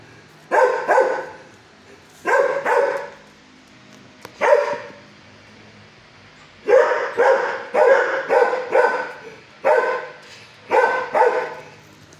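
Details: Six-year-old shelter dog in a kennel barking at a caretaker, giving sharp harmonic barks in clusters of two or three, separated by short quiet gaps, with faint background kennel noise.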